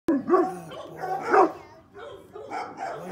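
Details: Seven-month-old male North American Mastiff, blue brindle, gives two deep, separate barks about a second apart, the second louder, then a quieter stretch with softer vocal sounds and faint background noise.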